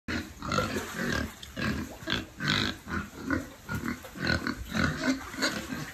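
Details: Piglets in a shelter on a family pig farm, a group grunting and oinking together in short, rough, overlapping bursts roughly every half second, with snuffling noise throughout.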